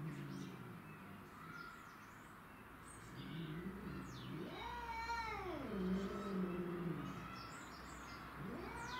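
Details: Territorial fight between domestic shorthair cats, Tom, Mimi and a grey-and-white neighbourhood stray: low rumbling growls swell into a rising then falling yowl, followed by throaty moaning and another rising wail at the end.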